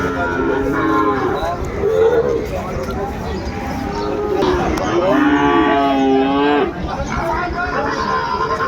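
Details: Sahiwal bull calves at Ambari cattle market in Dinajpur, Bangladesh, on 20 May 2024: several drawn-out, harmonic moos, some rising then falling, sounding one after another over steady crowd murmur and nearby voices.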